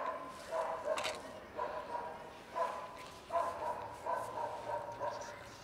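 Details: Several cats and kittens, with a pregnant dog approaching, utter short repeated meows, some overlapping, roughly eight calls in quick succession with brief noisy clicks and rustles between them.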